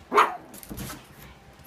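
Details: A single short, high yelp from one of Mandy's puppies opens the moment, followed by faint shuffling and a few soft murmurs.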